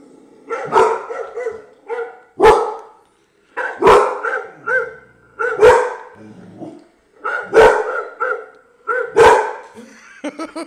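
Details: Pet dog barking at a computer: sharp broadband barks about every one to two seconds, some followed by drawn-out whining, yowling tones between them.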